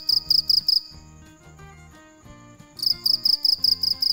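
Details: Cricket calling at night: shrill, high trilled chirps in quick pulsed bursts, stopping for about two seconds in the middle before resuming, over soft background music.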